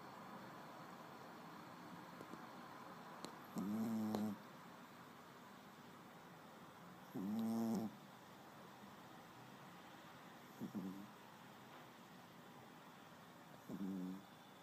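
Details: Small pet dog asleep and snoring indoors, four drawn-out buzzy rattling snores at uneven gaps of three to four seconds, the last two softer and shorter, over a low steady background hiss.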